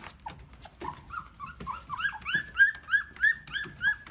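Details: Standard Poodle puppy, the green boy, in his first barking: a rapid run of high, rising yelps, about three each second, that grow louder and more regular toward the end, indoors.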